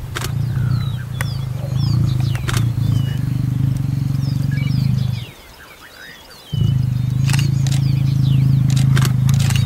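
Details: Lion in the Masai Mara, part of a mating pair, giving a long, deep, steady rumbling roar that breaks off for about a second midway and then resumes, with bird chirps and rustling above it.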